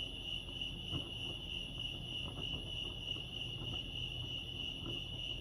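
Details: Lake Arrowhead crickets in California sing a steady shrill trill at one high pitch, with scattered soft low knocks and ambient hum underneath.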